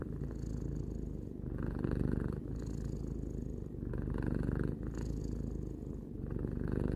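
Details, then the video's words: A three-year-old house cat purrs contentedly: a throaty, pulsing drone alternating between slightly louder and softer phases every couple of seconds, quiet room behind it. "Cat purring"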